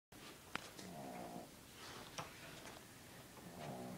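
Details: Sleeping dog snoring softly indoors, rough breathy snores with faint tonal rasp around one and three-and-a-half seconds, occasional small clicks.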